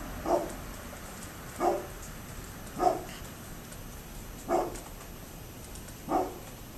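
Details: A neighbour's dog, recorded October 27, 2011, gives single muffled barks roughly every one and a half seconds, five in all, with constant low hiss underneath.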